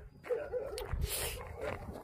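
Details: Jindo dog met on Jindo, Korea, giving a few high, brief whimpering yelps among handling noises and a person speaking close by.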